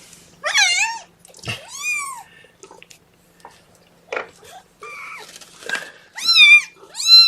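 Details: Kittens from Mama Seraphina's litter of four (three males, one female) protesting at being pottied before their weigh-in, indoors: several high, arching meows that rise then fall, each short and strained, with soft human voices in between.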